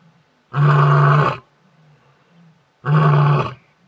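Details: Male lion at the Detema Dam area of Hwange National Park, recorded 20 October 2019, roaring to keep the competition away: two loud, deep, drawn-out roars of about a second each, spaced roughly two seconds apart, over a quiet background.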